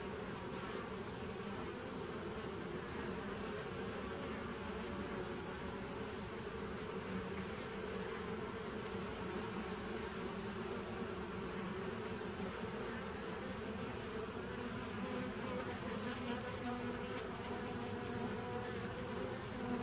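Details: A continuous colony drone from bees of a 2017 nuc on 27 September 2018, layered low buzzing that holds an even loudness from start to finish with a faint high-pitched hiss over it.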